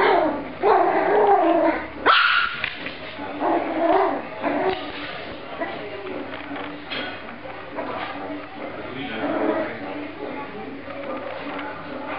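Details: Dogs fighting indoors, giving sharp yips and barks in uneven bursts, loudest in the first few seconds, then softer growling yelps, with a person speaking in the background.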